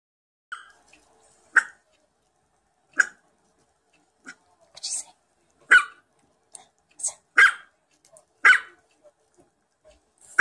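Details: Chihuahua barking played from a computer while another dog listens: sharp, high yapping barks, singly and in quick pairs, at uneven intervals.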